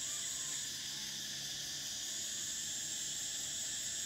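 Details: Summer cicadas keep up a dense, unbroken metallic buzz, a thin piercing whine layered over a broader hiss, with no pauses.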